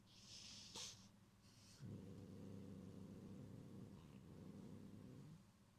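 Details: Gyopi the cat growls threateningly to guard its string toy Cotton-sensei from Ebiten-kun: after brief rustling, a low, steady rumbling growl runs about three and a half seconds indoors.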